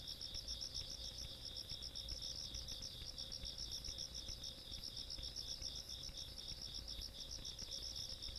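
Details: Insects heard on a country night in August 2022, a dense shrill chorus of rapid pulsed chirps stacked over a steady trill, unbroken for the whole stretch, with low ambient noise.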